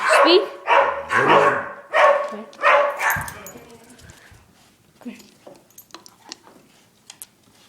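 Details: A pet dog said to be saying "I love you": several drawn-out, moaning howl-like vocal sounds in the first three seconds, then quieter clicks and a faint short sound.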